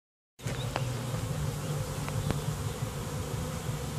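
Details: A bee swarm in a back yard: a dense, steady low hum with a warbling, layered buzz from many wings. It starts abruptly after a brief silence, with a few faint clicks over the drone.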